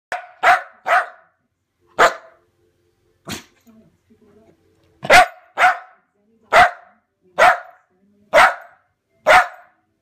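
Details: Lakeland Terrier barking indoors: about eleven sharp, loud barks in ten seconds, irregularly spaced, some in quick pairs, with a short quiet gap near the middle holding faint low sounds.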